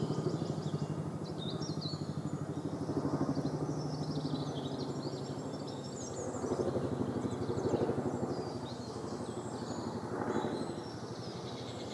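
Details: A steady, throbbing engine rumble fills the recording, with only faint hiss in the high range and no clear animal calls.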